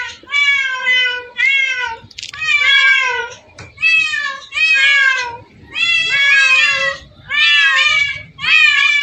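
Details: Meowing from cats gathered by the hundred in one place, a cat paradise: a steady run of about eight loud, tonal meows, each near a second long with a slight downward bend, following one another almost without pause.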